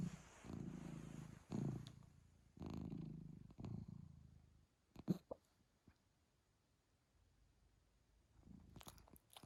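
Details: Hiccuping cat purrs in low, rough bursts for about four seconds, sharp hiccup clicks breaking between phrases, then near silence with a few scattered clicks and taps.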